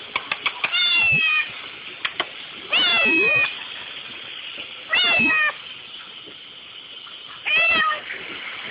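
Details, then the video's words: Bolt, a pet kitten, cries over the dishwasher, wanting to lick the dishes: four loud drawn-out meows with harmonic, slightly falling tones, each about half a second, spaced roughly two seconds apart, with faint clicks and household noise between. "Kitten Crying Over Dishwasher"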